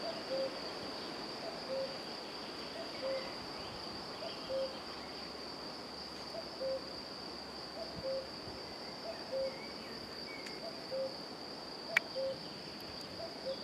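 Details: European fire-bellied toad (Bombina bombina) in Romania giving soft, low, mellow 'oop' notes about every second and a half, over a steady high insect trill.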